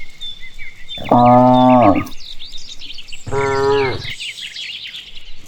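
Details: Cattle herd being led home along a rural village path after grazing on green grass, with no background music: two long, harmonic moos of about a second each, separated by a pause, over chirping birds in the background.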